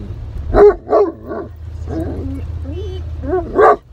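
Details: Great Pyrenees worked up on a rainy-day trip to Harvest Walk mall in Oyama, Japan, giving a few short barks, then a wavering whine, and a final loud bark against a low rumbling background.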